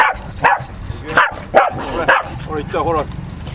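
A Pembroke Welsh Corgi gives a run of short, sharp barks with a human voice in the background.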